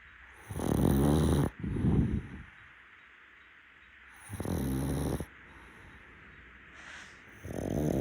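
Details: A pug, a rescue dog, snoozing on a futon at nap time. It gives coarse rattling snores, one doubled into two quick breaths, then a quiet gap before the next loud snore.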